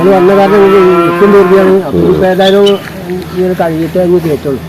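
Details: Male water buffalo bellowing a steady, deep, sustained moo for nearly two seconds. Men talking over a short second lowing sound follow.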